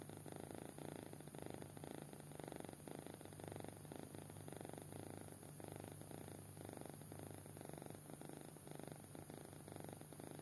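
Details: Sound-asleep kitten snoring, a quiet buzzy rattle rising and falling with each breath roughly every second, steady low hum beneath.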